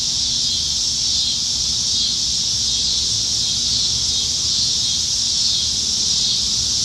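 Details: Cicadas singing up in the trees on a summer evening in Nebraska, July 2019, during the dog days of summer when they are everywhere; a dense, unbroken shrill drone holds steady throughout, with faint low rumble beneath.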